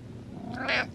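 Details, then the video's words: Domestic cat giving a single short meow lasting under half a second, rising then falling, against faint background speech. "Cat Meows, Sneezes and Yawns"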